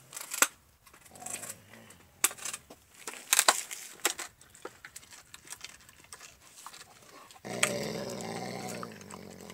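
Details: Alaskan Malamute Max working on a raw bone, with several seconds of crunching and clicking bites followed by a sustained low, throaty growl at the end.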